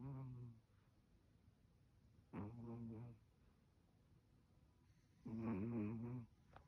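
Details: Loud snores from Jiji the Chihuahua in cold weather, three throaty, fluttering rattles spaced a few seconds apart, the last the loudest, against a quiet indoor background.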